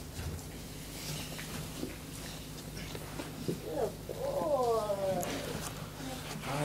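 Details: Four-week-old American Staffordshire Terrier puppies, just woken up, give a drawn-out whine that rises then wavers downward near the end, with a man talking softly and handling noises throughout.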